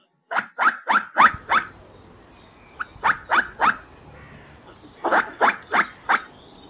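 A squirrel gives harsh, barking chucks in quick bursts of three to five.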